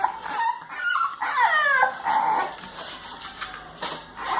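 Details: English Bulldog puppies, 32 days old, named Kala and Ada, whimpering and yipping: high whining cries gliding down, several in quick succession, loud and close, with faint background rustling.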